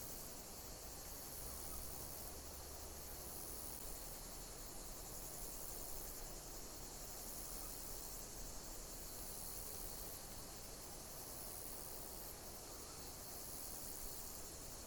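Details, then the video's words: Continuous insect chirping outdoors, a shrill unbroken shimmer with gentle pulses roughly every two seconds, set against steady low-pitched environmental noise. "Pleasant sound of insect chirping in nature"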